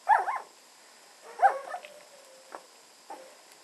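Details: Red standard poodle puppies, 18 days old, playing and joining in a play fight: two sharp squeaky yelps, the second trailing into a thin, long whine, then soft short yips.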